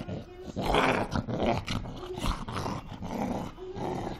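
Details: Fighting Cocker Spaniel in an angry mood: continuous loud, gravelly growling and snarling with rapid pulsing bursts throughout, rising and falling in intensity.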